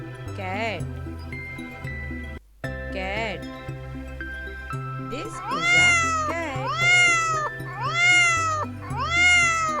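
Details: Domestic cat shown for children learning farm animal names, meowing in a series of rising-falling, slightly nasal calls, four close together in the second half, over steady background music and a spoken naming of the animal.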